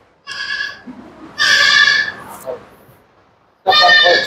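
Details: Goat kid being shown and lifted into someone's lap on a goat-breeding farm in Bhiwandi; three loud, rich, quavering bleats, short then longer then a final one, with faint speech.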